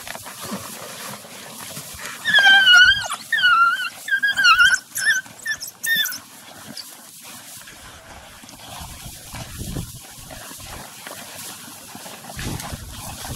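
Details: African wild dogs at a meal in Chobe National Park, Botswana: a burst of high, bird-like twittering squeals, wavering and repeated in quick series over about four seconds, then fading into low rustling and feeding noises.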